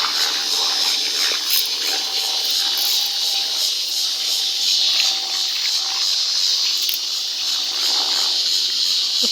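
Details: A cicada in trees in Colorado, loud enough to hear from a kitchen, gives a continuous, high-pitched electric buzz that holds steady with only slight pulsing, with faint small clicks and rustles beneath.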